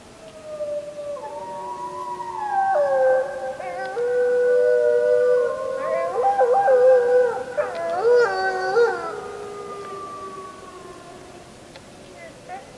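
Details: Wolves howling on a full-moon night, 31 July 2015, filmed with a JVC Everio GZ EX215: long howls build into an overlapping chorus with quavering, yipping breaks in the middle before one voice trails off alone.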